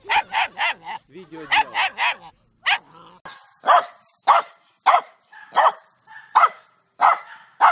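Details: Rapid high yapping from a dog in quick runs of three or four, with a brief whining, tonal passage, then evenly spaced sharp barks about twice a second; from a compilation of funny dog barks.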